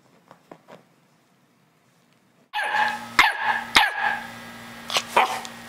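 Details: Chocolate Labrador puppy, the runt of the litter, is quiet for over two seconds, then gives sharp yappy barks over a steady low electrical hum.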